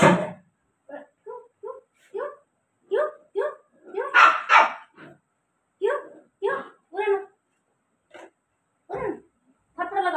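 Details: Rottweiler named Kalu pestering its household early in the morning: a string of short, tonal, moaning yowls and grumbles with clear harmonics, some rising and falling, broken by pauses, with a woman's voice scolding nearby.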